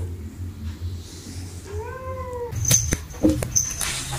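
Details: Cat meowing angrily at another cat: a single drawn-out, slightly arching meow with clear overtones, followed by clattering and knocking sounds.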